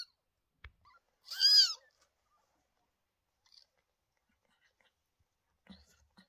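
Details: One short, loud, high arching meow from the home of Lola, a mother cat who had two kittens on 28 May 2023, followed by near silence and a few small clicks and rustles.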